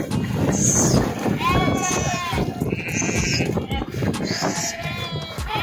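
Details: Sheep swimming in a river after jumping in, several wavering bleats overlapping one another, some high and thin, some lower, over a constant rush of water and splashing, with voices mixed in.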